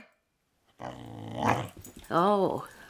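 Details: Khloe, a slightly overweight female corgi, grumbles in a rough, growly voice, then lets out a brief tonal moan rising and falling like a word, "talking" instead of rolling over for a treat, as a woman urges her.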